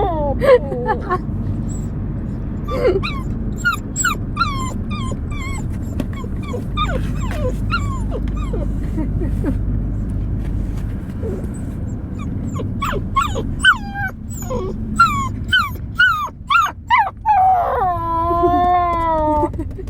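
A Siberian Husky yips and whines in quick bursts, then ends with a long, wavering howl.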